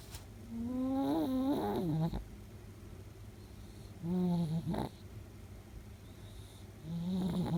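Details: A 10-year-old female half Chihuahua, half Shih Tzu snoring while asleep with her tongue out; three drawn-out, groaning, tonal snores, each about a second long and separated by quiet pauses of roughly two seconds.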